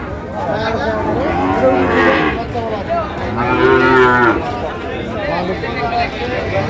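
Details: Sahiwal bull at Ambari cattle haat in Bangladesh on 18 August 2025, during a Barisal farmer's purchase; two strong, resonant lowing calls with bending pitch, the second fuller and longer, amid background voices of the market crowd.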